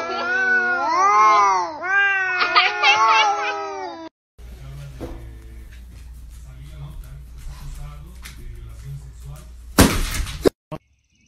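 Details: Yowling cat: about four seconds of loud, warbling cries swooping up and down in pitch, then a quieter stretch of low hum and faint clatter ending in a sharp noisy burst.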